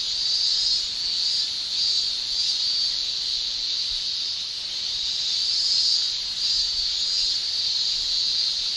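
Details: Summer cicada chorus in Japan: males buzz with their tymbals in an unbroken, piercing high drone, its intensity rising and falling softly in slow waves.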